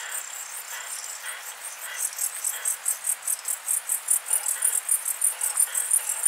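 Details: Muhrtal, Austria, 24 July 2022: a short-tailed plump bush-cricket (Isophya brevicauda) gives very high, brief ticking pulses that grow steadily louder and more regular, about three per second toward the end.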